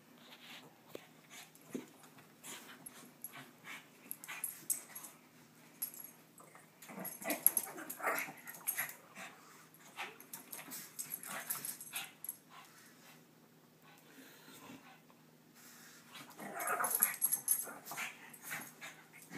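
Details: Two Shih Tzu, Bobo and Munchkin, playing together: scattered soft snorts, huffs and scuffling bursts come and go across the recording, with a louder flurry near the end and people talking nearby.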